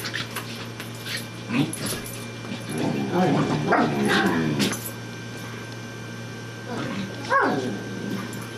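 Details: Miss Marple the Corgi and Baloo the Bouvier play-fighting: a rolling series of harmonic growls and grumbles across the middle, then a single high yelp, with people talking and a low steady hum.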